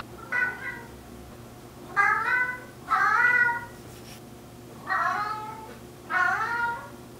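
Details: Vocal four-year-old male mixed-breed cat talking back to its owner indoors: five bright meows over seven seconds, some warbling or doubled, each rising then falling, in a quiet room.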